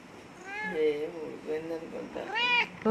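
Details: Pet cat Icy meowing after missing its owner for a month: a series of tonal, rising-then-falling meows, one long drawn-out call near the end, with a person speaking Telugu nearby.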